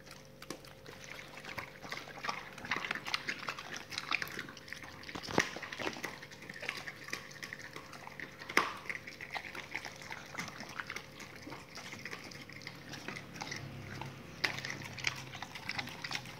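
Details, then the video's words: Raw-fed dogs eating meaty salmon bones and raw chicken carcasses: continuous moist crunching and licking, with several loud cracks of bone breaking spaced through the recording, above a low steady background hum. "dogs eat raw meaty bone salmon and raw chicken carcasses [ASMR] 動物の咀嚼音"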